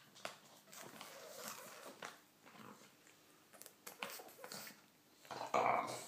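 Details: English bulldog Alan chatting: scattered soft grunts and snuffly mutters build to a louder, moaning, whine-like grumble near the end.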